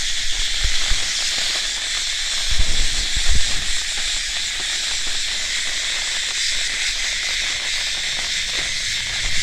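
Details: Cicada giving a constant harsh buzzing hiss, unchanging in rhythm, while low rumbling bursts rise beneath it a few times.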